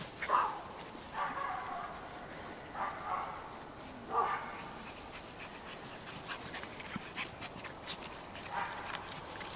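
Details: Cairn Terrier puppies at a breeding kennel in Escaudes, France give brief, high squeaky whines and yips every few seconds.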